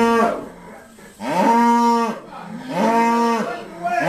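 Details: On a noisy day of sorting Irish Dexter cows at Stone Meadow Farm, two full, even moos about a second long follow a short first call, with quiet gaps between them.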